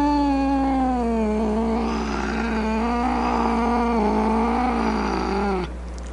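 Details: Grumpy domestic cat producing a continuous low, wavering growl-yowl with a rough pulsing quality, sustained for over five seconds before breaking off abruptly.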